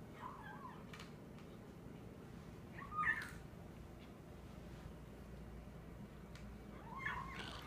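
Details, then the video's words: Young male kitten making odd little noises while eating indoors: faint, short squeaky vocal bursts near the start, around three seconds and again near seven seconds, over a steady low room hum. "Kitten makes funny noises"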